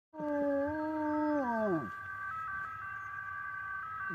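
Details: A dog gives a long, steady howl that sags and fades as a passing ambulance's two-tone siren wails on.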